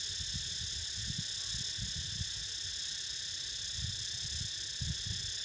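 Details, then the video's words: Shrill, continuous buzzing of cicadas forms a constant wall of sound over soft, irregular low thumps and rustles. "Snoozing To The Sound Of CICADAS"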